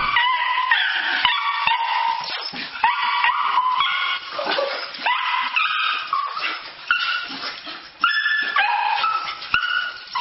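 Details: Happy dog greeting its owner with a long run of shrill, howling whines and yips, each cry sliding between pitches in short bursts with brief gaps, sustained and loud throughout.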